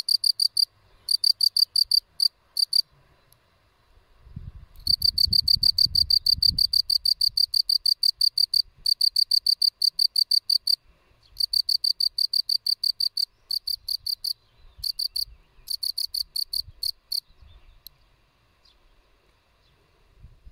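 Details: A field cricket (Gryllus campestris) gives sharp, bright chirps at about three per second in bursts with gaps, over twenty seconds; a brief low rustling noise midway and faint low background sounds.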